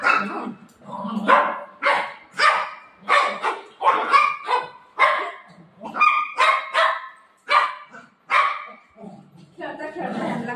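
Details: Quick, harsh barking bursts, about ten in a row, from pet dogs Buzo and Milo, a golden retriever and a shih tzu, in a household squabble over their mummy, with women's voices mixed in.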